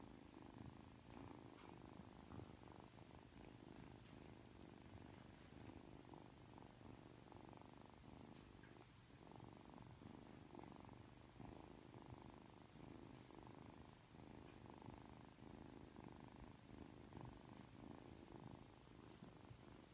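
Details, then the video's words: A three-month-old Ragdoll kitten named Aki purrs continuously for the whole stretch while acting affectionate right after waking up. The purr is a soft, even rumble with gentle rhythmic breathing surges, heard indoors. "[Ragdoll cat] 잠에서 막 깨서 애교부리는 아키💕 寝起きで愛想をふるまうあき！"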